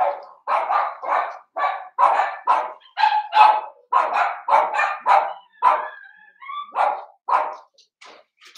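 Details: Blenheim Cavalier King Charles Spaniel puppies at seven weeks, five littermates in a puppy pen, give a steady run of high-pitched yapping barks roughly twice a second, ending in a few whimpering squeaks.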